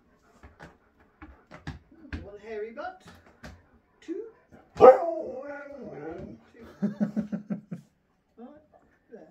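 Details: Indoors at his new home with a visiting best friend, Sherpa the husky makes scattered short yelps, then one strong rising-falling howled whine, then a quick burst of pulsed, grumbling woo-woo sounds; human voices mixed in.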